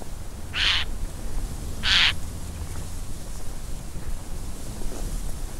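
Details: In winter, a roe deer gives two short, harsh, hoarse barks about a second apart over a low rumble.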